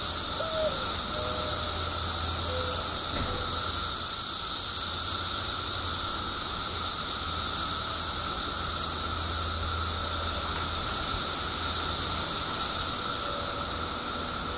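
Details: Mass chorus of periodical cicadas emerging in the billions after 17 years underground in Illinois: a continuous, steady shrill drone, high and unbroken throughout, with a faint lower hum beneath and a few brief bird-like chirps.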